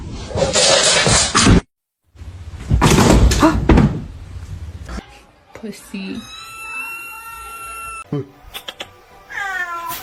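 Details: Domestic cat in a funny cat meme compilation: after loud bursts of hissing noise, a steady high tone sounds, then a short meow rising and falling in pitch near the end, with faint indoor background sounds.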